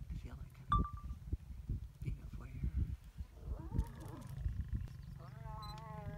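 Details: Lions mating in Kafue National Park, Zambia: deep, rough growling pulses roll out over the first three seconds, easing into a lower rumble, then a higher wavering tonal sound rises near the end.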